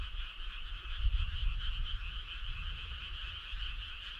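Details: A midsummer-night frog choir near a rural road, heard as an unbroken, even mass of high trilling voices, with a soft low rumble running underneath and one louder low surge about a second in.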